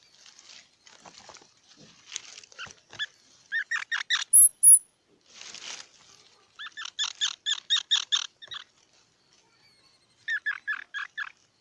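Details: Squirrel calling in runs of rapid harsh, harmonic-rich chips, with a pair of very high thin squeaks in the middle and short pauses between bouts.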